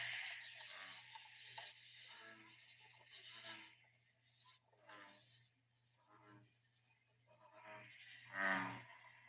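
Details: American bullfrog (Lithobates catesbeianus), a frog of permanent water native to the southeastern Coastal Plain, gives its advertisement call: deep, resonant, moo-like croaks repeated every second or two.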